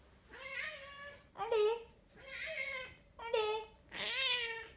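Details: Big Maine Coon cat from a cattery in the south of France meowing five times in a row, each meow clear, harmonic and slightly wavering, about one per second, the last loudest, with no voices over them.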